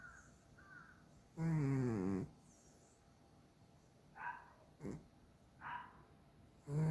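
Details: A chubby pet cat, Dalae, snoring loudly enough to keep its owner awake; one long, rough, buzzing snore with a falling tone, then a few soft, short breathy sounds in a quiet room.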